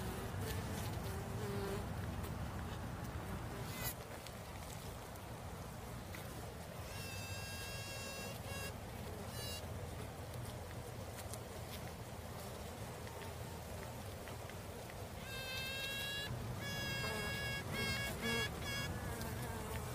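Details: Female honey bee making a continuous low buzzing drone. Two clusters of rapid, harmonic, tooting notes stand out, one in the middle and one near the end, and there are occasional clicks.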